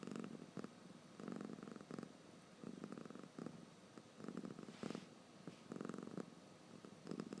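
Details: Drowsy house cat snoring while its eyes stay open; soft rasping breaths come in short regular pulses, some slightly louder than others, with a quiet indoor background.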